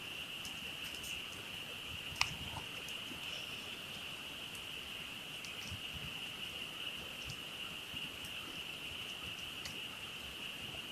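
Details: Frog chorus at night during a camping trip beside a campfire: a dense, unbroken high trill holds steady throughout, with a few faint crackles and pops from the fire scattered over a soft low rustle.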